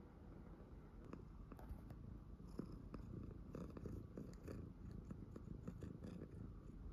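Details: Pet tuxedo cat purring indoors while its nails are being cut, a soft steady low rumble with sharp clicks of the clippers scattered throughout.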